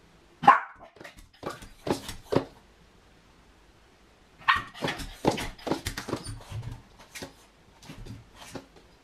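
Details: Separation anxiety shows in a Miniature Pinscher left alone indoors: a loud opening yap, a string of short barks, a brief lull, then a fast, uneven burst of yapping and whining.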